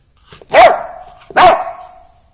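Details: Labrador Retriever puppy barking on bath day indoors, two loud sharp barks about a second apart, each with a trailing ringing tail.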